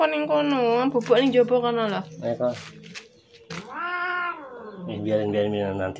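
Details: A sick cat with severe scabies, hungry and thirsty, cries after coming to a house to ask for help. Drawn-out, wavering meows, one rising then falling, are mixed with a person talking nearby indoors.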